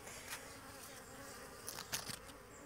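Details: Native honey bees at a hive box being smoked off honeycomb frames during harvest; a constant buzzing drone broken by several sharp clicks and knocks of handling.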